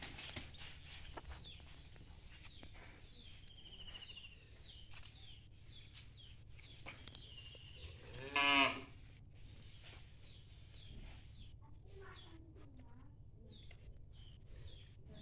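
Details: Cattle at a farm during artificial insemination treatment; one brief, loud, throaty moo sounds midway through an otherwise quiet stretch, with people talking nearby and faint high chirps in the background.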